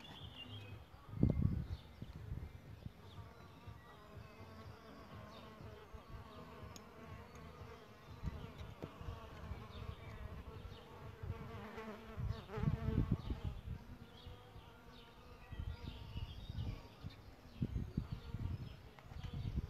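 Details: Solitary bees nesting in a bug hotel, their wings giving a droning, harmonic buzz that swells and fades as they fly close, loudest around the middle and near the end, over a steady low rumble.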